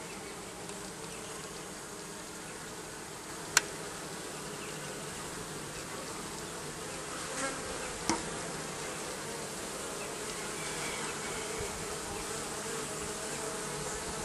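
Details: Bees under the roofing give a steady, low droning hum, even and unbroken throughout, with a sharp click near four seconds and another near eight.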